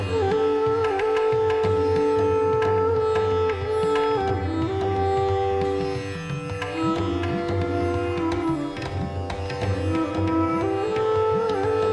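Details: Sitar and tabla music plays throughout, with plucked strings and drumming and no animal sounds.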